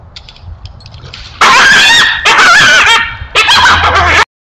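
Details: Wild coyote caught in a neighbour's foothold trap, giving three loud, wavering, wailing yelps, each about a second long with rising and falling pitch, after a quieter stretch with faint high chirps.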